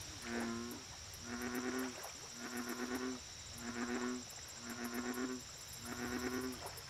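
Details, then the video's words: American bullfrog calls at a lake, offered as relaxing nature ambience: low, throbbing, pulsed notes repeated about every second in steady series, with a constant high insect-like hiss above. "Bullfrog Lake Audio Only"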